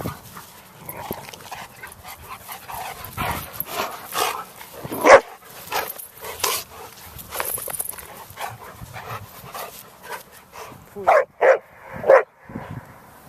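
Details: Dogs at play in November 2013: two Black Russian Terriers, a mother and her daughter, with a visiting nine-year-old Chihuahua and an eight-month-old terrier. Rough, scattered growly noises give way to a few sharp, loud barks near the end.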